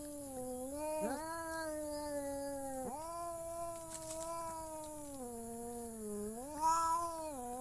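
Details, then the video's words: Quieter, almost continuous cat meowing: long wavering tones that break and restart near one and three seconds, then dip and rise again toward the end, with a faint steady high whine behind. "The sound of cat funny"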